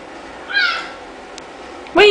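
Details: Indoors in Kansas City, Missouri, 10-month-old orange tabby Oliver, a friendly male lap cat rescued from a CVS store, lets out one drawn-out, bright, rising-then-falling meow. After a pause, a woman's voice begins speaking loudly.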